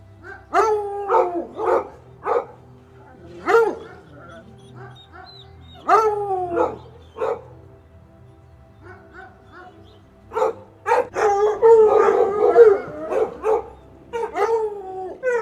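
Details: Domestic dog barking in irregular single and paired barks separated by quiet gaps, breaking into a dense flurry of overlapping barks and whines near the end.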